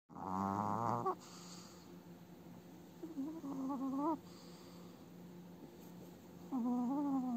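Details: An elderly female Chihuahua snores in her sleep in rhythmic, nasal, whine-like bursts about every three seconds; her eye movements suggest an active dream.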